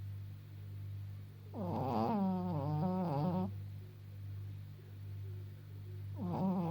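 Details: Maggie, an elderly Pekingese female aged 14.5, blind and slightly deaf, snoring indoors: a long rasping, fluttering snore of about two seconds, a quiet pause with a steady low hum, then the next snore beginning.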